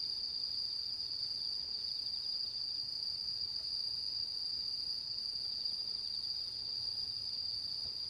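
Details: Autumn insect chorus recorded on the mid-autumn full-moon night of September 10, 2022: one clean, unwavering high-pitched trill running throughout, with no other sounds.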